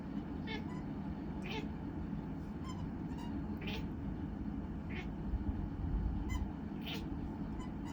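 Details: Scottish Fold cat giving short, thin, high-pitched meows roughly once a second or two, each a quick rising-falling squeak, with a constant low background hum throughout.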